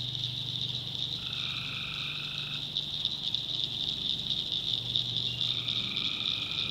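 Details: A North Carolina backwoods swamp at night, where tree frogs call: a steady shrill chorus, a buzzy trill lasting over a second near the start, another beginning late, and a low droning hum in the background.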